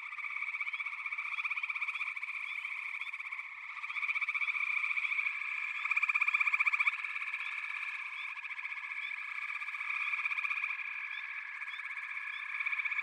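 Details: Overlapping frogs, pig frogs and water frogs named, calling together from backwater: an unbroken buzzing, pulsed chorus that grows louder near six seconds, scattered brief chirps layered on top.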